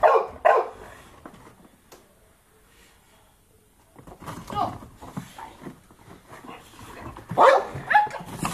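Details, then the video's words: Boxer dogs playing outdoors in the snow; short, loud barks burst out at the start, then a quiet stretch, then another cluster of barks near the end, with people's voices talking in the background. "Boxer Dogs playing in the snow"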